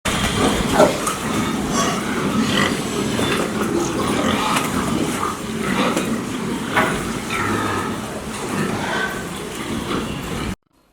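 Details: Pigs on a farm, a dense murmur of overlapping low grunts and snorts running throughout, with a few brief higher squeaks standing out, then ending abruptly in silence.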